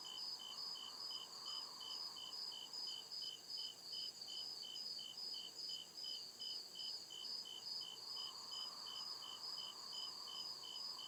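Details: Crickets calling at night deep in the woods; evenly spaced high chirps, around two or three each second, steady throughout with a ringing continuous trill overhead and gentle low-mid wash behind.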